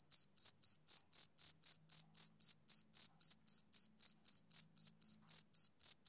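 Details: Summer-evening chirping of a male cricket: evenly spaced, shrill pulses repeated about four times a second, bright and tonal, with nothing else audible behind them.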